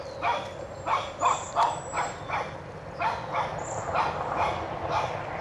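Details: Toby, a one-year-old Shih Tzu puppy, barks while chasing a whitetail deer out of his yard; quick yappy barks come in uneven runs with a short pause midway, over low background rumble.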